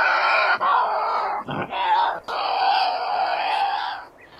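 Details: Tasmanian devil giving harsh, raspy screams: long broadband screeching bursts with brief breaks near 0.6, 1.5 and 2.3 seconds, fading out at the end.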